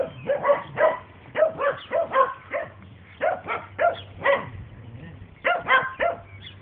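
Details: Dandie Dinmont Terrier mother Lady playing with her puppies and other dogs; short, sharp barks and yips come in quick clusters of two to four, with brief pauses between bursts.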